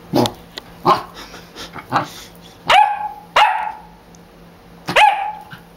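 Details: Taunted dog Scarlet lets out several short barks, some rising into drawn-out yelping barks with a ringing tail, separated by pauses of about a second, over a low steady hum.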